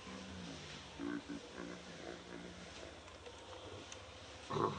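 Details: Monkey calls near Angkor Wat: baby Briar feeding from mother Brianna in their natural habitat, giving short harmonic whining notes that rise and fall between one and two seconds, then a brief louder squeak at the end over steady background hum.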